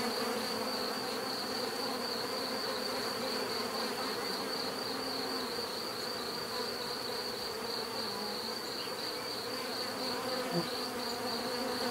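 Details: Bees buzzing together in a steady, dense drone of low humming tones, overlaid by a continuous thin high whine; no pauses, with a faint brief tick near the end.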